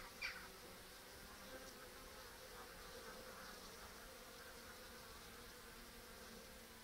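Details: Honey bees at a mouse excluder with a restricted entrance on 14 October, a brood-rearing colony bringing in ivy pollen; a steady, dense buzzing hum with a low droning tone, plus one brief louder buzz near the start.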